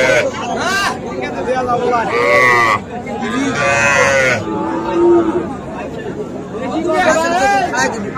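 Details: Several moos from young Sahiwal bulls and heifer calves at a Comilla livestock market, Bangladesh, 13 September. Overlapping long, harmonic lowing calls, some rising and falling, come from more than one animal amid steady human chatter and market bustle.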